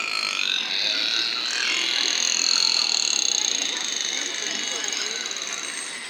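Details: Captive killer whales (Orcinus orca) during an afternoon show at SeaWorld San Diego, 26 March 2017, give high, squealing calls with drawn-out tonal sweeps to communicate. The sounds are made by flexing the muscular flap over the blowhole.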